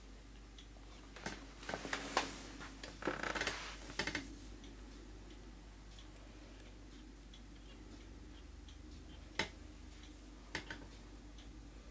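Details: A quiet indoor room with a steady low hum, broken by scattered soft clicks, taps and light knocks, with no animal voice heard.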